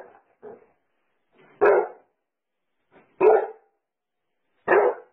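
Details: Pet Basset Hound barking: two soft, muffled woofs, then three loud, full barks about one and a half seconds apart, each trailing off quickly into silence.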